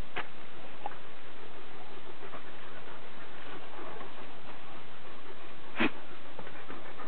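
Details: Borzoi and Irish wolfhound playing together in a garden in the afternoon: steady breathy panting and scuffling under a noisy background, with a short sharp vocal burst near the end.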